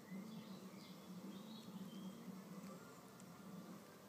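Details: Solitary red mason bees fight to keep a nest cavity. A low droning buzz pulses on and off almost continuously, and thin bird twitters sound faintly above it.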